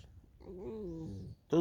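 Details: Tame fox on a snowy field in the morning, one smooth, slightly wavering whine that slowly falls in pitch, then a short sharp sound at the end.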